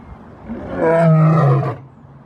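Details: Lion roaring as a display of dominance: a single deep, swelling roar lasting under a second, low and rumbling with rich harmonics, rising from quiet and fading away.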